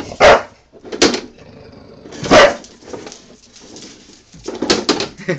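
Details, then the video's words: Pet Bulldog Honey getting mad at the lawnmower: loud rough barks at irregular intervals, a couple of seconds apart, over a faint continuous background hum, with a cluster of quicker barks near the end. "Honey, my Bulldog, getting mad at the lawnmower"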